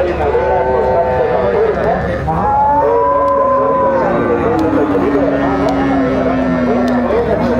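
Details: Gyr cattle lowing at a Tiangue livestock market in El Salvador: a chain of long, tonal moos, one swelling around three seconds and a low drawn-out one stretching from five to seven seconds, over people talking nearby.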